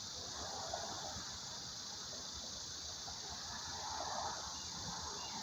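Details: Cicadas in summer, just starting their seasonal singing in July after emerging from the ground, give a steady, high, hissing drone without pause over soft background noise; they are expected to get louder.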